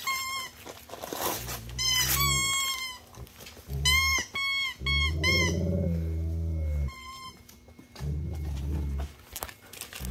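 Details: German Shepherd indoors at Christmas, opening its gifts: high, harmonic whining yelps in short bursts, some rising and falling, coming in clusters about every two seconds, with a low steady hum and people talking.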